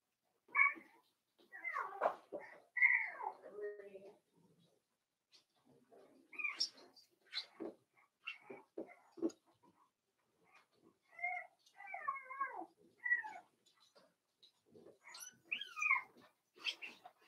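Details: Quiet, overlapping whines and squeaks from Daisy's four-week-old Cavalier King Charles Spaniel puppies in their pen, with wavering, bending notes in bursts across the clip and soft rustling.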